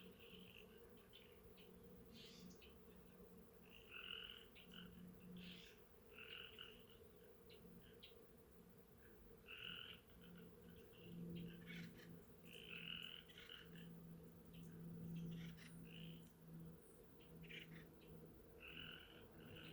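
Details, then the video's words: Frogs at Sheckyville heard outdoors among bees and trees: brief, bright calls in quick irregular bursts with a few sharp clicks, while a continuous low bee hum runs beneath throughout. "Sounds of Frogs, Bees, and the Trees"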